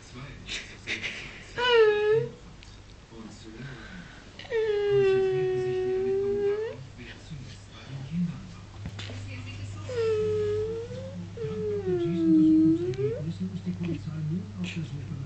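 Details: A female Dobermann puppy at play lets out drawn-out, high, tonal whines, each arching gently up and down over a second or two, with German speech and a low indoor hum underneath.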